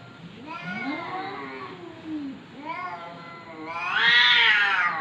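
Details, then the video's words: Domestic cat giving drawn-out, wavering meows with rising and falling pitch, ending in a louder, strained yowl, indoors and quiet otherwise. "VIRAL KUCING BERCAKAP"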